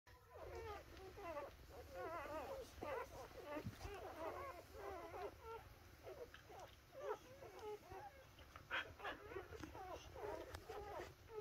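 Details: Australian Shepherd puppies whining and whimpering continuously, a dense overlapping chorus of thin wavering cries, with a high steady hiss in the background.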